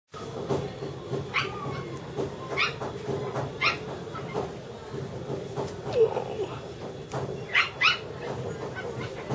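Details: Puppies in a mall giving short, high, rising whines and yelps every second or so over a steady hum of indoor background noise.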